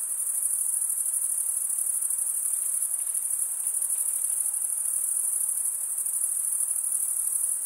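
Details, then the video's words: Male crickets chirp by wing stridulation, their combined high buzzing trill holding steady and dense for the whole stretch, with a soft, low rustle of background noise and nothing else. "Most relaxing cricket sound for 8 hours"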